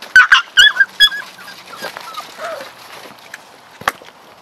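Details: Pups of Chloe and Jericho playing and exploring around their den: a quick cluster of high, squeaky whimpers and yelps in the first second, then a few softer, thinner squeals fading out, with a sharp tap near the end.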